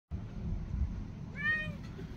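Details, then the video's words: Domestic cat Onyx, half puffed and anxious in a carrier taken outdoors for enrichment, gives one short rising-falling harmonic meow near the middle, over steady low rumbling outdoor noise. "Taking the cats outside for a walk one at a time. (Some anxious meowing)"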